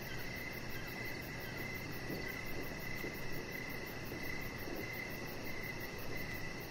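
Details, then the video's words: Crickets call in the evening around a deck where a chihuahua puppy lies among decoration lights; repeated short chirps sit over a rapid faint high trill, partly masked by continuous low-pitched noise. "Cricket Sounds"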